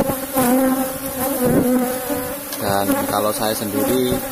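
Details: Asian honey bees (Apis cerana) in a managed box hive buzzing loudly as honey combs are harvested; a dense low hum that swells and wavers, with fluttering bursts of higher tone in the middle.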